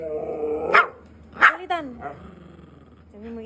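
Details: Siberian husky; grumbling howls; protesting at being denied treats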